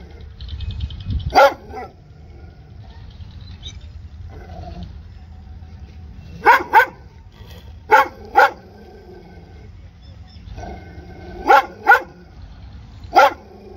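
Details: One bark near the start, then after a quiet gap a dog barks in pairs of sharp, harmonic-rich barks several times, with low background noise throughout.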